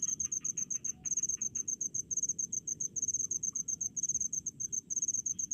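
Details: High rapid chirps from a cricket in rice fields, regular pulse groups repeating several times a second without pause, a softer second insect calling lower in the first second.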